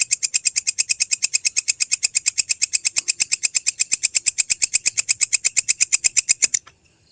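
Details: Belalang kecek grasshopper call used for training songbirds: a fast, steady train of bright, high ticking chirps, close to three per second, for six and a half seconds before cutting off.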